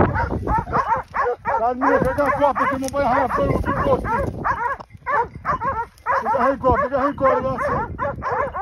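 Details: Hunting dogs baying while holding a group of wild boar at bay during a boar drive hunt in Pratomagno, Arezzo, Italy; many overlapping yelping barks in dense bursts with brief pauses, men shouting among them.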